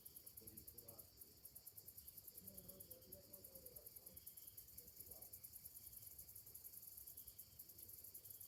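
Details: On a summer morning, cicadas keep up a rapid, shrill pulsing drone high overhead, steady and unbroken, while faint murmuring tones drift underneath in the low background.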